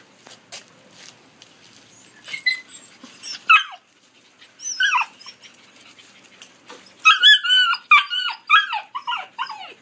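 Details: Collie puppies aged 73 and 86 days, filmed 12 August 2013: high, whining whimpers with falling pitch in short bursts, louder clusters near the middle and end, with faint clicks and rustling between.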